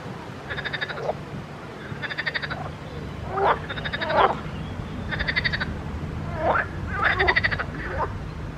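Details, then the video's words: A pond chorus of frogs: rattling, evenly pulsed croaks in half-second bursts, answered by sharp rising notes, repeating through the recording against a faint background murmur. "grenouilles chantes croasses leurs mélodies des grenouilles dans un etand d'eau"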